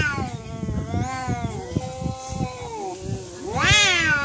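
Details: Fighting cats in a real fight: long, wavering, harmonic yowls that hold and slide slowly in pitch, then a sudden louder wail that rises sharply and falls, with soft scuffling thumps underneath.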